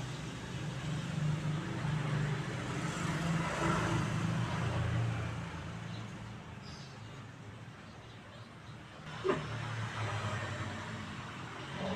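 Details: Steady low rumble of passing road traffic, with one sharp knock and no animal voices.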